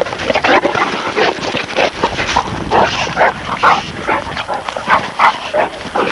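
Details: Two puppies, a Presa Canario and a Neapolitan Mastiff, play-fighting; dense gruff yapping and growling barks come in quick irregular bursts throughout, some higher and whinier, with snorting grunts.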